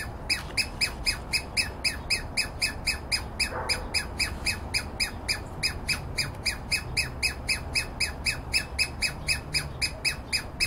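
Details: A Douglas squirrel, seemingly alarmed though not by the nearby person, gives harsh, rasping calls repeated steadily about four times a second, in a yard with dense conifers.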